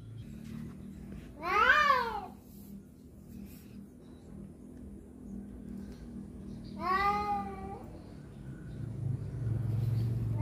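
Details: Fighting cats contesting a female give two strained, arched yowls about five seconds apart, each wavering in pitch, against a low background hum.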